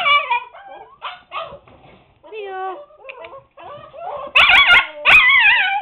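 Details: Husky pups at seven weeks, confined to the puppy pen: scattered short whimpers and yips at first, building to louder overlapping yelps and howls near the end.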